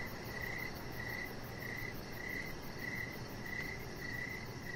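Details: Crickets in the evening outside by a deck give fainter, high chirps spaced under a second apart above a broad hiss of background noise.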